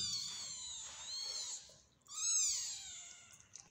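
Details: Hungry kittens of a mother cat that is not nursing them, mewing indoors: two thin, high drawn-out meows with wavering pitch, the second louder and falling away, faint background hiss.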